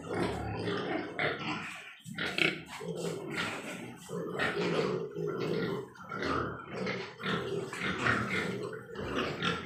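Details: Large White Yorkshire pigs on a pig farm in Nadia, West Bengal: a dense chorus of rough grunts and snorts from several animals, with overlapping squeals and farm clatter throughout.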